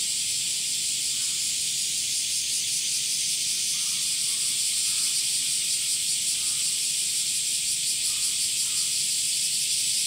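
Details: Male cicadas singing in summer: a constant high, rasping drone with a slight pulsing texture, and soft bird chirps every second or two in the background.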